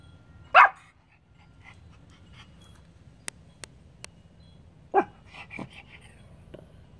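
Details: Pomeranian dog indoors on July 26, 2021, growling and barking at the air: one sharp, loud bark early on, then faint soft sounds, a few clicks, and a second bark followed by quieter yips.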